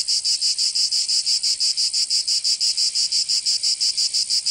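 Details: Cicadas singing in summer in Provence, southern France: a loud, high, buzzy drone pulsing in rapid regular beats, about three per second, with no other sounds.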